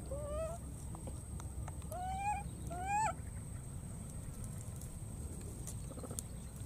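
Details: Baby monkey in the wild searching and calling for its friend after crossing water: three plaintive, upward-sweeping cries within about three seconds, then quiet with a low steady rumble and faint clicks.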